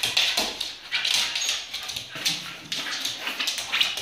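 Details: A Shiba Inu boxing in play gives high, thin whines and short yips in quick, uneven bursts.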